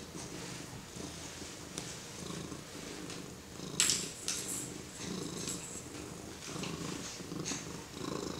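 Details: Domestic kitty purring as a four-month-old baby pets it; low, pulsing rumble in even waves about every second, broken by brief rustles and scratchy touches near the middle.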